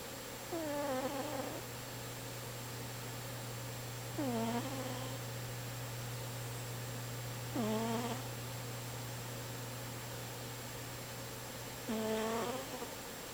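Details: Domestic cat asleep and snoring indoors: four nasal, whistling snores spaced roughly every three and a half seconds, each starting with a quick downward bend then leveling off, against steady low hum.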